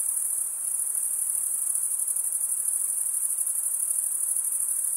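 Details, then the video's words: Male crickets stridulating, their wings grating to give a very high, finely pulsed trill, about two pulses a second, rolling on without a break over faint low hiss. "Most relaxing cricket sound for 8 hours"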